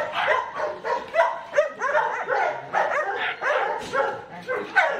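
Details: Barks from Ammy, a Belgian Malinois getting a microchip implant: rough, rising-and-falling yelps repeated roughly every half second over about five seconds.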